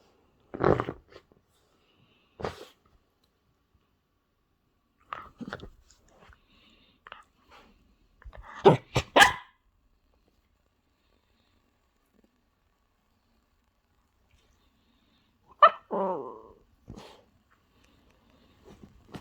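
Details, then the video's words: Toy Terrier wanting attention while digging a hole into a blanket indoors: scattered short grunts, snorts and huffs among scratching and rustling of fabric, with long quiet gaps between bursts. "Toy Terrier digging hole into Blanket and making funny sounds"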